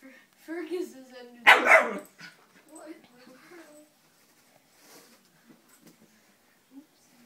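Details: Abbey, a female wheaten Scottish Terrier, reacting to a fake Scottie she seems to take for another dog, gives one short loud bark in the middle. A woman's voice praises and talks before and after it.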